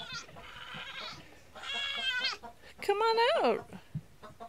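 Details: Nigerian Dwarf goat kids on their first day, bleating in three high, shaky calls, the last one rising then falling, while a woman's voice coaxes them to come out.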